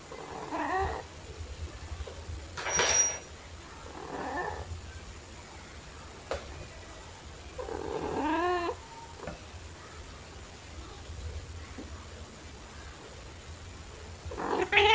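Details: Domestic cats Pepper, a black cat, and Kofi, a torby, play with fluffy toys indoors in March 2021, phone recording with a mini shotgun microphone. Several short, rising-falling meows come at about one, four and eight seconds, with soft rustling between and a steady low hum.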